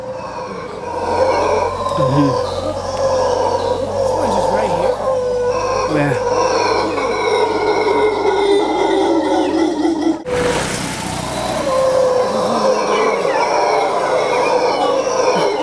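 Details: Howler monkeys calling near Quepos, Costa Rica, a sustained chorus of deep, grinding howls layered in rough harmonics, with a brief human voice and a sudden handling bump partway through before the eerie roaring resumes.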